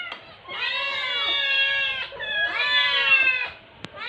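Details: Young rescue kittens under foster care in Metro Manila clamouring for lunch, September 2023: two long, strained, harmonically rich meows, each held over a second, rising then slowly falling, with a sharp click near the end.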